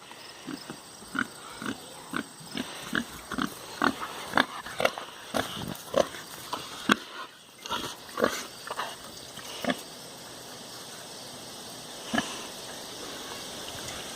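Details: Pet pig kept at home, grunting in a rapid series of short, soft pulses for about ten seconds, then a pause and one more grunt, with a low steady background hum.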